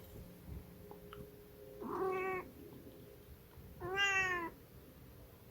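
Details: Two clear meows from a Munchkin cat about two seconds apart, each short and slightly falling at the end, the second a little louder and brighter, against faint room noise.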